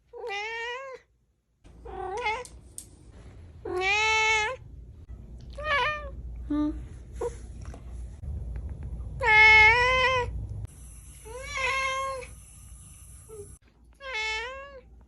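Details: Kittens meowing in a run of loud, drawn-out, wavering meows, about eight calls spread over fifteen seconds. Some rise and fall and others end in a bent tail, with short gaps of room quiet between them.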